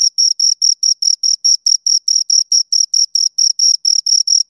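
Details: Two crickets chirp in a high, metallic, evenly pulsed rhythm, around four to five short bursts per second, loud and clear throughout with nothing else audible.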